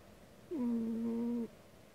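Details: Sleeping cat snoring loudly: a single drawn-out tonal snore lasting about one second, steady low pitch with clear overtones, starting and stopping abruptly against a quiet room.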